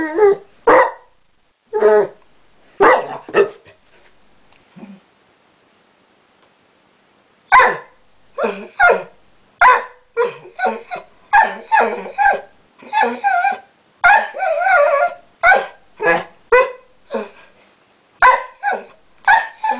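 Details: Basset Hound that has recently learnt to 'talk' produces a long run of short grumbling, yodel-like barks and moans, varied in pitch, with a quiet pause early on before rapid bursts resume nearly every half second.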